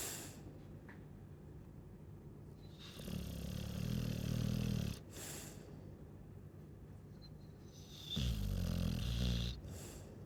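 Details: A Chow Chow snores twice, each breath a low, fluttering rumble lasting about two seconds, with near-silent pauses of roughly three seconds in between.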